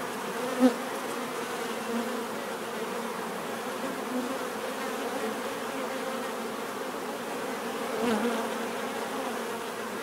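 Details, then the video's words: Natural bee buzzing, a continuous rich hum of many insects, broken only by a brief click early on and a short louder swell near the eighth second. "bees therapy relaxing natural buzzing sound"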